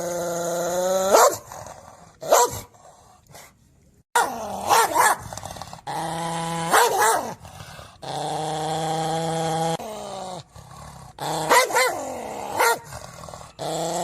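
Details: Domestic dog with long, steady, droning growl-like tones held for a second or more, broken by short sharp yelping barks that sweep up and down in pitch.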